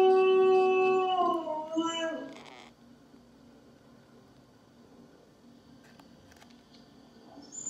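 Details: Husky howling while waiting patiently for its owner to get back home: one long, loud, smoothly sliding howl with rich harmonics that dips in pitch, lasting about two and a half seconds before fading to quiet room background.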